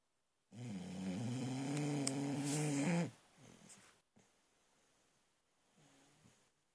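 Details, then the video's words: Sleeping female Boxer puppy snoring loudly indoors: a deep, rasping snore with a strong low harmonic stack lasting about two and a half seconds, then quieter, softer breaths fading toward the end. "Sleeping Boxer Snores"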